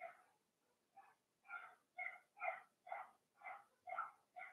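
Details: Cavalier King Charles Spaniel puppies playing in an indoor home puppy pen; a run of about nine high, tonal, harmonic yips comes in quick succession, roughly two a second, after a soft start.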